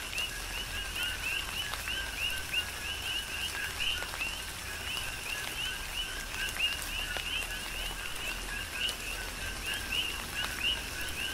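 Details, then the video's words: Coqui frogs calling through a tropical rain shower on the Big Island of Hawaii, a dense chorus of short two-note chirps, a low tone rising to a higher upswept note, repeated constantly over steady rain hiss and scattered drips. "Tropical Rain & Coqui"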